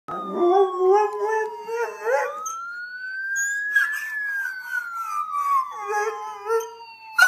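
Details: Mr. Thurgood, a Schnauzer, howls in reaction to a passing siren he dislikes. Wavering, quavering howls open and close the stretch, while a smooth siren tone sweeps upward, peaks, then slowly falls and dominates the middle.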